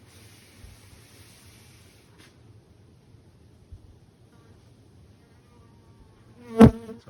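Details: Roughly 20–30 million Western honey bees (Apis mellifera) in 1,352 hives wintering in a shed in Canada make a low, steady, rumbling roar, with one sharp knock near the end.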